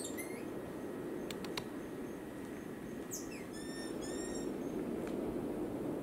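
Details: A cotton-top tamarin in Colombia gives a few sharp clicks, then a short burst of high, level whistled notes with clear overtones near the middle, against a steady low rumble.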